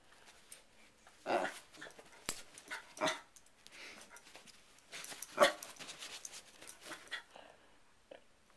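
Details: Indoor pet dog reacting to a hair clip being opened and closed, giving short, harsh bark bursts at irregular intervals with quieter growly sounds between them, in a small room.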